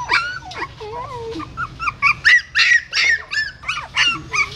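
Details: Female dog carrying her newborn puppies in her mouth from a hole in a pagoda stupa in Siem Reap to another place; high, thin whining squeals that bend up and down, coming in quick irregular bursts, several per second.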